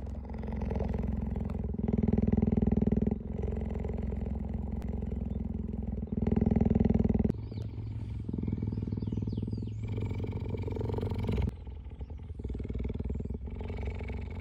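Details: A cheetah at a cheetah conservation centre purrs in a deep, steady, rumbling drone that continues without a break through several passages.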